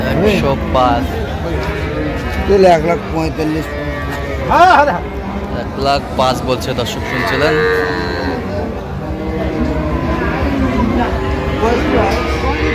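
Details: Cow with her calf offered for sale at Ambari cattle market (haat), Dinajpur, Bangladesh, on 24 October 2025: drawn-out, harmonic lowing rises and falls several times amid constant crowd chatter and bargaining voices.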